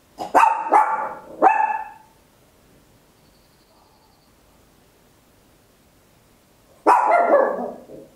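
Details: Tiny Papillon dog barking very loud at home, captured in stereo on an Olympus LS-11: three sharp, bright barks in quick succession, a long quiet pause, then one more drawn-out bark.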